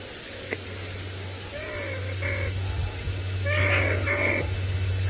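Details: Two banded mongooses, one emerging from a termite mound and apparently chased by lions while out late at dusk, give short, nasal, tonal alarm calls in two bursts over engine hum; Sabi Sand, South Africa, September 23, 2017.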